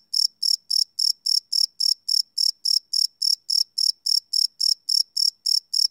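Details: Crickets chirping at night, recorded live with no loops on a Sony PCM D100 field recorder: a steady train of short, bright, high-pitched chirps, about three to four per second, with no other sounds.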